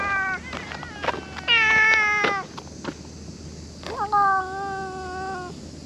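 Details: Domestic cat meowing outdoors: a couple of short, clipped meows at the start, then a long, drawn-out meow of about a second, and after a pause a second sustained, slightly falling meow, over a low steady background hum.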